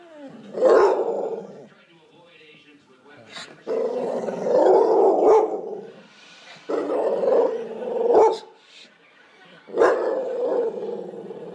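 An American Staffordshire Terrier makes drawn-out, throaty moaning and grumbling sounds in repeated bursts.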